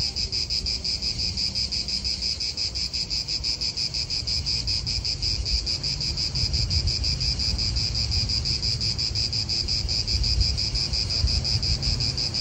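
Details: Chorus of cicadas in a park in Italy: dense, high, shimmering buzz with fast regular pulsing, continuous from start to finish over a soft low rumble of wind and distant traffic.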